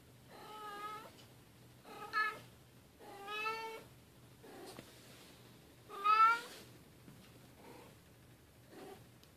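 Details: Bengal cat family playing, newest silver kitten Keylala with sister Luna and mother Xia; five lower, drawn-out meows spaced roughly every one and a half to two seconds, the fourth loudest, over quiet background.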